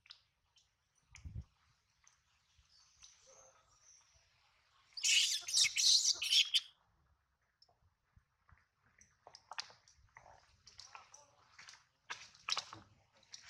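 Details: Baby monkey hurt by its mother's bite while stealing milk, crying: scattered faint squeaks, then a sudden intense run of shrill, rasping screams for over a second, fading into intermittent thin chirps and clicks.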